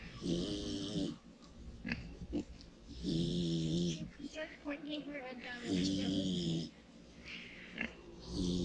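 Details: Loud snoring from a pig asleep in the sun. Deep, buzzy breaths arrive about every two and a half seconds, each paired with a hissing airy rush, and the pauses between them are quiet.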